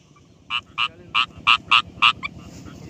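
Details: Rice field frog in daytime giving a series of six loud, nasal croaks at roughly one every third of a second, each a short harmonic burst, followed by two softer notes.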